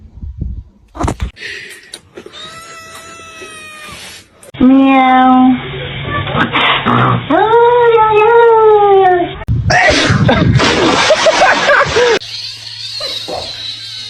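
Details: Domestic cat from a compilation of funny cat moments: a short flat cry, then several drawn-out, arched, rising-and-falling meows in close succession, with people talking over them and abrupt edit cuts.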